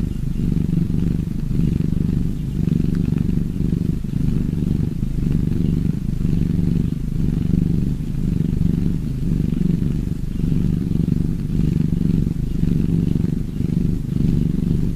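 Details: Low, even purring from cats held for a long stretch, a dense buzzing drone in the bass with gentle rhythmic surges about every second.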